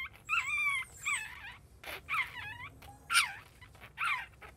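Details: Newborn Chihuahua puppy just after birth, giving short high whines with a bent, rising-then-falling pitch, about five cries in quick succession with brief gaps between them.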